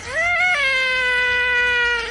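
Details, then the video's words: One long drawn-out cat meow, rising briefly, then held on a steady, slightly falling tone for about two seconds, while a person nearby asks about going for a walk. "cats meowing"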